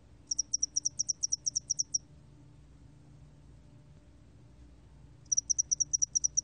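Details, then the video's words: Spotted-wing hairy cricket song: two bursts of high, rapid, evenly spaced chirping pulses, about fifteen pulses in the first burst, then a pause of roughly three seconds before a second burst begins. "점날개털귀뚜라미, 여러번 듣기, 곤충소리"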